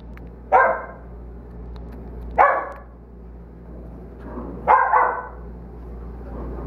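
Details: Play barking from Mongo, an 8-week-old Belgian Malinois puppy, romping with two other dogs, Brees and Zuzu: three sharp, harsh barks spaced about two seconds apart, each a short bright burst over a steady low hum.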